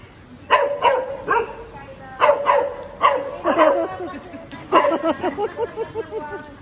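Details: Golden Retriever named Soju, a pet dog, barking in short bursts about once a second, with people talking and calling its name nearby.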